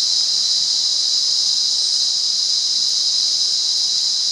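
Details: Continuous high, hissing cicada drone from wild Monaragala, Sri Lanka, steady in pitch and volume for the whole stretch with no other clear sounds.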